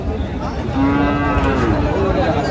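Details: Cow at the Ambari haat livestock market in Dinajpur, Bangladesh, 8 August 2025, among thin cows for sale. One long, steady, low-pitched moo holds for nearly two seconds over busy market voices.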